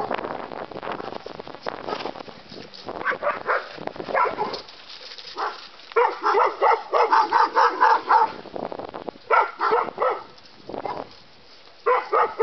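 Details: Playful barking from a terrier mix and a bulldog learning to play: soft scuffles at first, then a dense run of rapid, ringing barks and yips, followed by more brief volleys.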